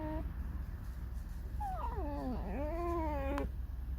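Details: Pet red fox indoors, creaking and singing a mournful song: a short tonal note, then a long, drawn-out whine lasting about two seconds that slides downward and climbs back up, with a steady low hum underneath.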